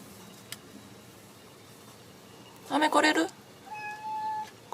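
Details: An American Shorthair cat indoors, trying to get outside after an argument with its owner, gives a single short, strained meow. A woman calls to it before and after, and a faint steady tone follows.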